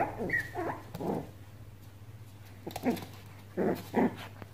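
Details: Pomeranian puppies playing, a high thin whimper opening, then short nasal yips and grunts spaced about a second apart, two louder yaps near the end, over a low steady hum.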